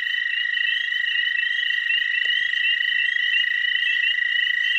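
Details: Dwarf American toads, chorusing males at a small spring breeding pond, produce two overlapping sustained high trills at different pitches, steady and unbroken, with a brief soft click in the middle.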